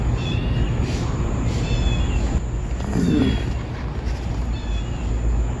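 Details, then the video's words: A street kitten trapped in a drain cries while its mother tries to carry it out, cars passing close by; thin, high mews repeat about every one and a half seconds over a heavy, steady traffic rumble. "Tiếng mèo con càng lúc càng kêu to hơn."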